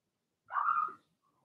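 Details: Blenheim Cavalier King Charles Spaniel puppy, one of a litter of six (two female, four male) whelped March 7–8, indoors in a puppy pen; a single drawn-out tonal yelp, about half a second, fairly high and steady, then quiet.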